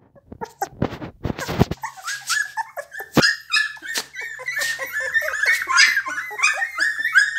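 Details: Pit Bull dogs with a rare coat colour, whimpering and yipping. Sharp noisy clatter opens the recording, then come overlapping high, bent squeals and short yips, repeated quickly and unevenly, in a small indoor room.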